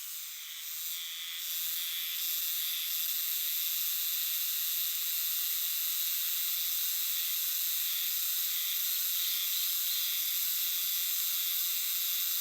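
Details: Euterpnosia chibensis cicadas in a great chorus in the dark woods of a shrine or temple, a dense, continuous high hiss sung as 'jiwaa jiwaa jiwaa' that swells slightly in the first seconds and then holds steady.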